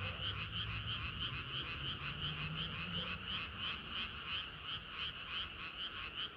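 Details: A frog chorus on a sweltering summer night. Pulsed croaks come about three times a second, and a low hum sits underneath during the first half.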